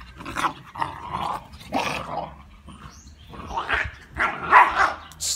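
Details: Labrador Retriever puppies, two and a half months old, playing in Olivares, Sevilla; a run of short, rough yaps and growly barks in bursts about every second, with a clear squeaky yelp near the end.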